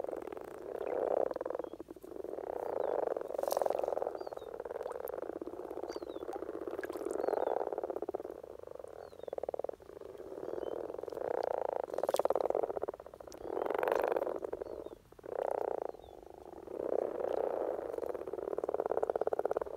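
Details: Common frogs (Rana temporaria) at the height of their spring courtship in Norway, many males giving low grunting, purring croaks in overlapping pulses that rise and fall in waves through the whole recording.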